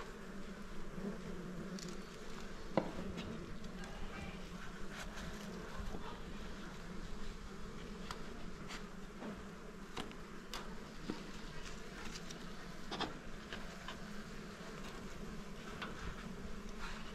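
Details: Honey bees humming steadily around a small beehive being harvested for honey; the drone holds unbroken for the whole stretch, dotted with frequent brief clicks and knocks from handling.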